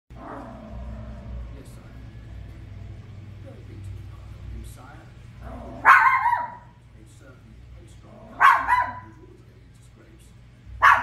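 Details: Toy poodle, a pet dog, barking while watching The Lion King: three short sharp barks spaced a few seconds apart, over steady film soundtrack and dialogue from the television.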